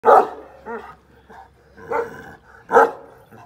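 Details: One-year-old black-grizzled young Kangal dogs at a Kangal breeding and rearing farm; three loud, deep barks spaced about a second apart, with softer grunting yelps between them and a faint low hum beneath.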